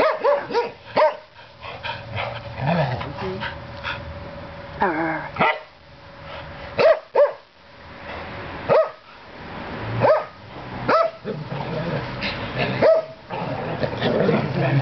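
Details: Two Norwegian Elkhounds, Quinn and Toby, horsing around roughly in a back yard after a bath; sharp, loud barks at irregular intervals with short growly bursts between them, and a person's voice briefly heard.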